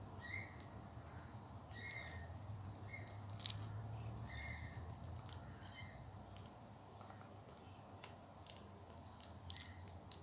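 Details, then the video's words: Orphaned baby bat Mothra, a rehabilitation bat in a wildlife carer's care, playing with baby toys while yawning and hiccuping; short, high, thin squeaky chirps come in irregular bursts, some doubled, with scattered sharp clicks and handling noise. "Mothra Baby Bat Playing With Toys While She Yawns And Has Hiccups."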